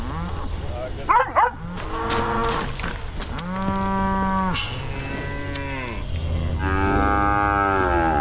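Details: Brahma, Hereford and Brangus cows rounded up on a farm to sort calves: several long harmonic moos, some rising then falling, calling one after another over a low rumble of background noise.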